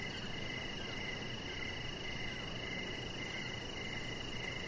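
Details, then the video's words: Evening crickets near a deck with a resting chihuahua puppy; a continuous piercing trill dominates while softer chirps pulse about twice a second, all over a broad hissing background. "Cricket Sounds"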